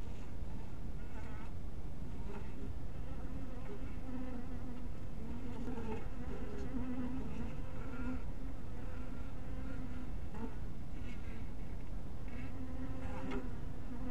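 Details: Honey bees at a small hive cottage in twilight light: a dense, continuous droning hum holding a steady low pitch, with brighter buzzing flares as single bees pass close, over a constant low rumble.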